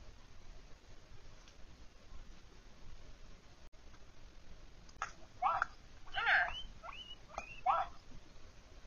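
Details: Female pet guinea pig asking for what she wants: after several quiet seconds, a run of about six short squealing squeaks, the loudest and longest midway, with faint room noise underneath.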